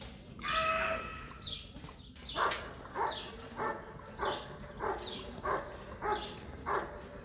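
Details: German Shepherd Bandit vom Haus Kogor in Section C of an IGP-1 qualification trial at the 2022 Russian Championship. Sharp, hoarse barks repeat steadily about every two-thirds of a second, with a noisy outdoor background and a brief clatter partway through.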